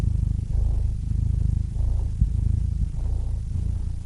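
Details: Cat purring close up: a deep, continuous rumble of rapid fine pulses that swells and eases in breath cycles roughly every 1.2 seconds, each with a soft breathy rise, over an otherwise quiet background.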